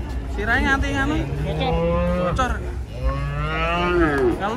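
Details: Cattle being unloaded from a truck in Indonesia; two long, steady lowing moos, each held over a second, the second swelling louder toward its end, with faint music and voices behind.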